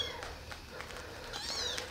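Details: Rescued baby kittens, abandoned on the street and now living in a warm basement, take a walk and feed on milk from a syringe; a short high mew curves downward near the end amid soft shuffling clicks.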